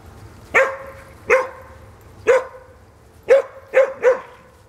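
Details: Bloodhound playing with other dogs at his foster home; six loud, booming barks, evenly spaced at first, ending with three fast barks in a cluster.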